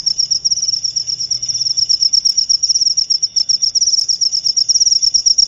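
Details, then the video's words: Cricket call for driving away rats: piercing high trill broken into rapid regular pulses, continuous over the whole stretch, with a quiet low hum early on. "Cara ampuh usir tikus dengan suara jangkrik/suara pikat ampuh jangkrik"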